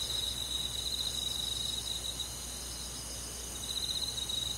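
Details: Crickets chirping on a summer night: a steady, high, shimmering insect chorus with rapid pulsed trills that swell at the start and end, over faint low background rumble.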